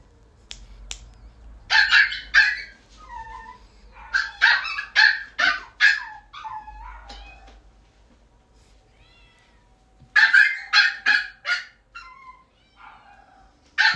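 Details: A calm male Shih Tzu: bursts of short sharp yapping barks in quick clusters, with brief whiny tones between, pauses of a few seconds, low hum in the background.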